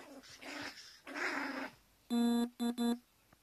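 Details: Pet Teacup Poodle couple squabbling as the female grabs the male's belongings. Two breathy growls are followed by three sharp, clear, high yapping barks in quick succession, the last two close together, in a small room.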